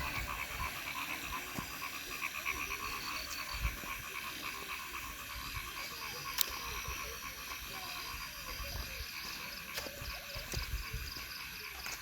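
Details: A dense chorus of frogs in Thakurgaon district keeps up steady, rattling, pulsed croaks without a break.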